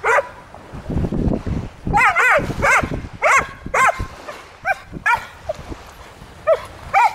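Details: Excited blue Staffordshire Bull Terrier, 15 months old, on a beach: after a short rumbling start, a string of high, arched yelping barks in quick pairs and threes, with pauses between bursts.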